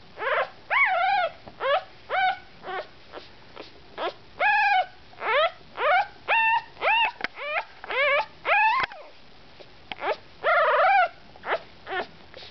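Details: Bugg puppy born 10/03/08, wanting to be back with his brothers and sisters, whimpers in a steady series of high, wavering cries, about sixteen arching whines over twelve seconds with brief gaps, indoors.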